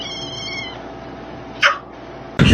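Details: Domestic cat in an indoor room, giving short, sharp meows that rise and then drop. Each cry is brief and stands out against a steady low hum. One cry comes in the middle and a louder one near the end.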